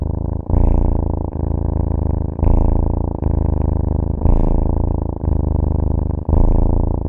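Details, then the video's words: A cat purrs in a deep, continuous buzz that swells and eases in cycles of roughly one second, with soft ticking at each breath turn. "CAT SOUNDS"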